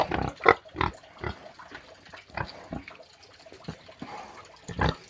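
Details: Pig on a farm giving short, separate grunts spaced irregularly, some louder snorts among quieter ones, with low background noise between calls.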